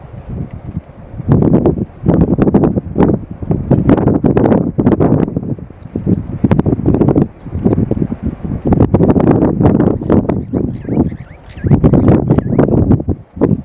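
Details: Lionesses fighting to the death over food in Kruger National Park, South Africa, 2024, one lioness killing another; loud, harsh, rasping growls and snarls in dense bursts, with brief gaps between outbursts.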